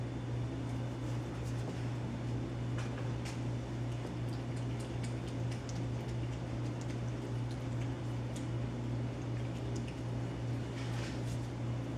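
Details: A loud, even electrical hum runs throughout indoors, with light clicks and rustles but no clear animal call.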